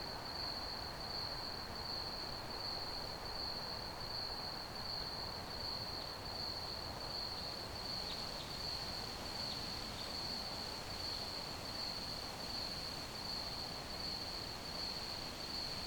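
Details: Crickets trill continuously in high, quick pulses, with faint short higher sounds in the middle and steady broadband rumble underneath.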